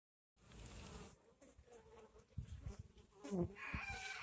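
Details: Honey bees feeding on watermelon buzz in low, droning bursts that swell and fade as they fly close.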